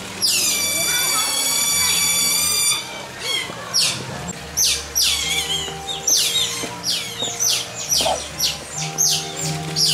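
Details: Asian small-clawed otters at Chiba Zoo, Japan, give a long, shrill, whistled squeal, then a rapid run of high chirping squeaks, several per second, as faint human voices murmur in the background.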